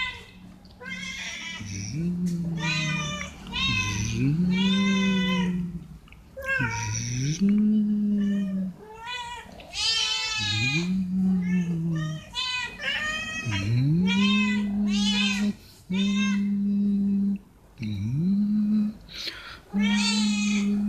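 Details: Several stray cats being fed veg rissoles, meowing to ask for food or attention: long, low, steady wailing meows that scoop up in pitch, overlapped by higher, bright, rising-falling meows, with almost no gaps between calls.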